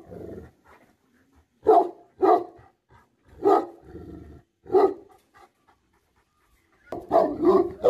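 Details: Bhote Kukur, the Tibetan Mastiff, barking angrily in scattered single and paired gruff barks separated by quiet gaps, with some softer panting or huffing between them and a closing cluster of barks.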